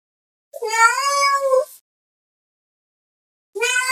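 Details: Loud domestic cat meow calling another cat, one long wavering cry lasting over a second, followed after a three-second pause by the start of another meow.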